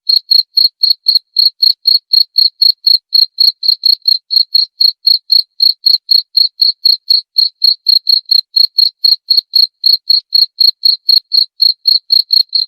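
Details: Cricket chirping, presented as a sound to drive away rats: clean, high, steady chirps repeated about four times per second without pause, each a short pulsed burst, over a silent background.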